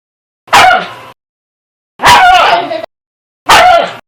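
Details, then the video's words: Dog barking: three loud, harsh, broadband barks, each about half a second long, spaced roughly one and a half seconds apart, with silence between. "Hundebellen, Bellender hund sound, Hunde bellen"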